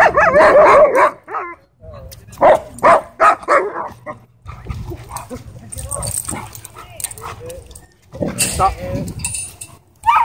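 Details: A wolf dog and a husky shepherd with pink eyebrows play rough at a dog park; a rapid run of barks opens, then scattered gruff bursts, over human voices and outdoor background noise.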